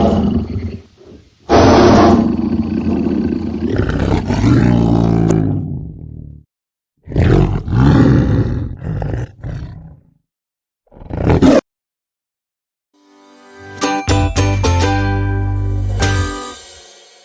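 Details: Tiger roaring: several deep, rumbling roars come in bursts separated by short silences, opening with a brief tonal jingle and ending with bright, music-like harmonic tones.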